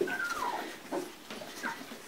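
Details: A Labrador Retriever pup from a two-week-old litter, 11 January 2016, gives a reedy whimper that slides downward and then fades, followed by softer faint squeaks and quiet human talk.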